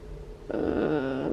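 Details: Chloe, a pregnant Siberian Husky in labor and described as in pain, gives a drawn-out, wavering whine with groaning overtones lasting about a second, indoors in a small room after a quiet start.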